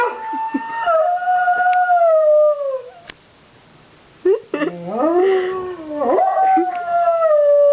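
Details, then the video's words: Two household dogs howl in response to fire truck sirens from a passing Santa Fire Truck Parade; a sustained falling howl stops, then after a short pause rises again as quick yelping bends into another long, steady howl. "My Dogs Howling"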